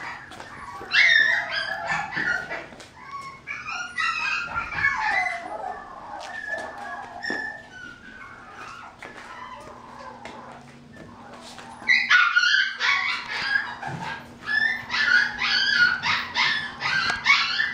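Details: Fluffy young male mixed-breed dog with a silver-tinged coat yips and whines in quick, irregular bursts, about two a second. A quieter spell comes mid-clip, then louder yapping returns, with a low steady hum underneath.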